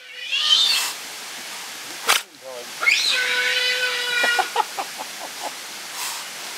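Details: Captive giant otter family of six, including two cubs born at Chestnut Centre, Chapel-en-le-Frith, filmed 25 June 2011. A long, steady, harmonic wail holds level for over a second after a brief squeak, with short broadband clicks and human voices around it.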